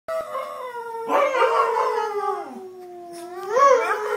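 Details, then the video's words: Two pet dogs howling together indoors: long, wavering tonal howls with rich harmonics, sliding slowly downward, then a rising swell near the end as the voices overlap. "Dogs howling funny"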